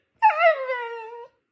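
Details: Husky dog at home letting out a short, whiny howl that starts higher, dips and wavers, then settles into a steady lower tone for about a second before stopping abruptly.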